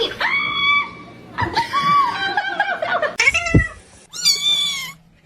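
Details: Kitten meowing in a home setting, several drawn-out, tonal meows, the first steady then falling, a longer wavering one, then a brief high cry, separated by short gaps, with laughter and a person talking nearby.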